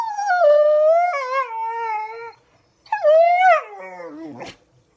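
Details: Pit Bull watching squirrels on TV, giving two long howls: the first held and gently wavering, the second starting higher and sliding downward, ending in a short squeak.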